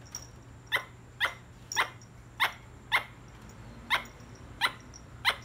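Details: A squirrel calls with sharp, raspy chucks repeated roughly every half second, about ten in quick succession, against a low background hum.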